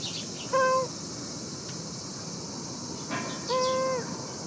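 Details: Shin-chan the cat, returned home safely after escaping harsh summer heat at a supporter-provided shelter, utters two steady, tonal meows, the second longer, against a continuous high-pitched hiss of outdoor background noise.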